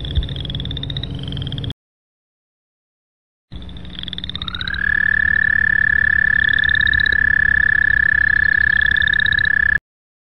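A frog calls with a sustained, rapidly pulsed trill on one high pitch, rising briefly at the start before holding steady. Fainter, higher rising notes from other callers sound behind it, with a short silent break early on.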